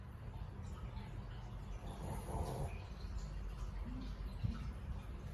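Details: Cute little dog asleep and snoring loudly, a single rasping, fluttering breath swelling for under a second mid-clip over a steady low background hum, with quieter breathing before and after.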